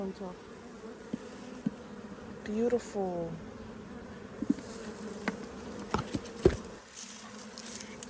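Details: Captured honey bee swarm humming in a steady, unbroken drone. There is a brief human voice early on and scattered light taps and clicks.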